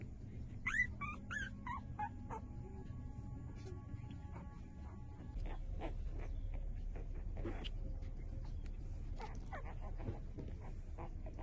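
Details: Five-day-old puppies suckling from their mother give a brief cluster of thin, wavy squeaks early on, followed by sparse clicks and suckling noises over a low rumbling background.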